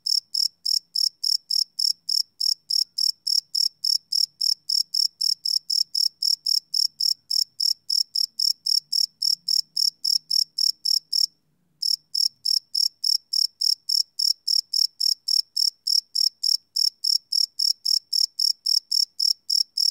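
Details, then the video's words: Night-time cricket, captured live on a Sony PCM D100 field recorder with no loops, chirping steadily at a high pitch about three to four times a second, broken by one brief silence midway, a faint low murmur underneath. "Cricket Chirp Sound - Cricket Sounds at Night"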